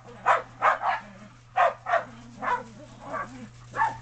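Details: Shetland Sheepdog playing in snow on a deck, giving slower, separate barks roughly every half second to second, over a low steady hum.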